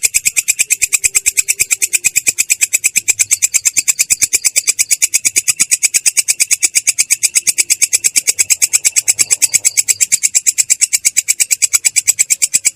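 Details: Belalang kecek, a katydid, giving an unbroken ngerol roll with a clear, rough tone: fast, evenly spaced high rasping pulses repeating without pause throughout.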